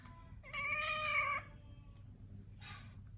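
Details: Munchkin cat indoors, complaining during its fortnightly nail trimming: one drawn-out, nasal harmonic meow lasting nearly a second, steady in pitch with a slight wobble, followed by a faint short sound and quiet room hum.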